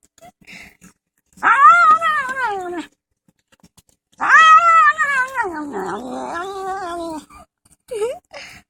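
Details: Fat male house cat protesting at being filmed while he eats: two long, loud, wavering yowls, the first rising then falling, the second longer with a dip and a rise, plus a short squeak at the end.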